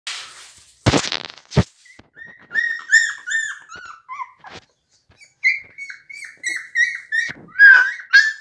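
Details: Seventeen-day-old blue Pit Bull puppies indoors giving high, thin squealing whimpers that rise and fall in short bursts, after a couple of sharp thumps at the start.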